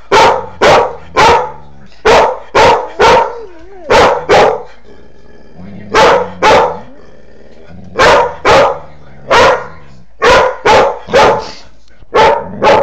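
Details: Angry barking from Maxie, a three-year-old female Doberman Pinscher, aimed at a foster puppy in the house: rapid bursts of two to four sharp barks, with brief whines or tonal sounds between the bursts.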